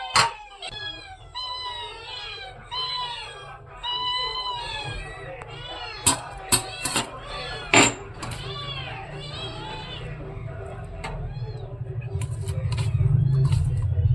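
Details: Many cats waiting for fish being prepared for them, meowing in overlapping arched, rising-then-falling calls over most of the stretch, with sharp clacks midway and a low rumbling hum swelling toward the end.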